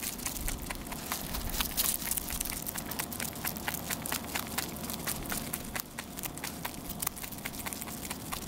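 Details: Dense, rapid crunching from a rabbit eating continuously, sharp chewing clicks following closely one after another over a faint steady hum.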